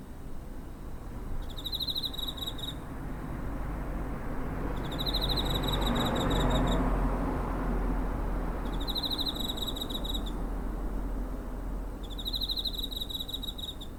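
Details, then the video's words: Cricket recorded near home in September 2023 with a TASCAM DR-05; four evenly spaced bursts of fast high pulsed chirping, each about one to one and a half seconds, with a rising and fading low rumble mid-recording. "Cricket chirping (コオロギの鳴き声"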